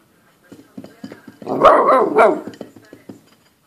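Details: Golden Retriever puppy, nine weeks old, playing with a plate indoors: one drawn-out, growly bark amid light tapping and clattering sounds.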